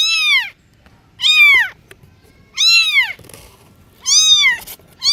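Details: Cats giving loud, strange meows, four short arched cries rising then falling, each about half a second long and spaced roughly a second apart, with quiet gaps between.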